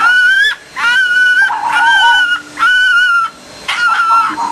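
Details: Fox calling out during the mating season: four drawn-out, high, slightly wavering whining cries with rich overtones, each under a second long and repeated about once a second with short gaps, over a faint steady low hum.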